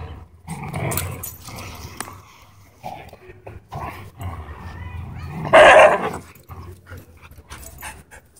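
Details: Dogs scuffling at a dog park as an aggressive husky pins another dog; rough growling and snarling bursts, with a loud yelping cry near the end and faint voices in the background.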